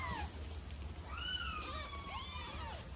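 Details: Cat calls, described as an aggressive cat in heat: two drawn-out, wavering meows rising then falling, over steady low hum and faint music.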